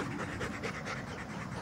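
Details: Tired Doberman puppies panting: quick, breathy, rhythmic pants, about five each second, in a steady broadband hiss with no pauses.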